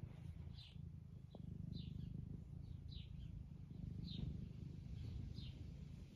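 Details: Being stroked, Eric, an attention-loving 11-year-old semi long-haired tabby house cat living in the UK, keeps up a continuous deep vibrating purr, while faint high bird chirps repeat in the background roughly every second.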